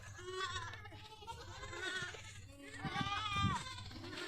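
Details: Goats on a Rajasthan farm near Pushkar, Ajmer, India, give repeated nasal, wavering bleats, a longer falling cry near the end, with people talking nearby.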